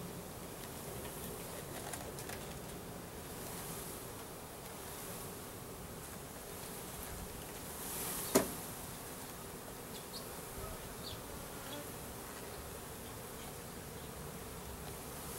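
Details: Russian/Carniolan hybrid honey bees, a three-pound package of about 10,000 workers with one queen, being installed into a new hive in April 2012; a low, steady, diffuse hum runs throughout, broken once by a sharp knock midway.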